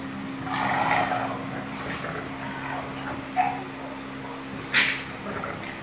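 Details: Bulldog mother playing with her puppy Ruby, who wants her to join in; soft whining sounds early on, then two short sharp yips a little over a second apart, over a steady low electrical hum.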